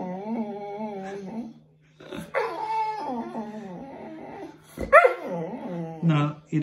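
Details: Bear, a Boxer dog, whimpers while having a bath: drawn-out whining cries that bend up and down, in several bursts with short pauses, while a person firmly says no to going upstairs.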